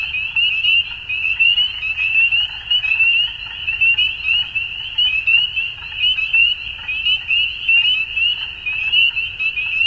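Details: Frogs calling at dusk in a dense, continuous chorus of high, trilling notes that overlap into a steady shimmering band, swelling and fading in loudness without pause; no other clear sounds.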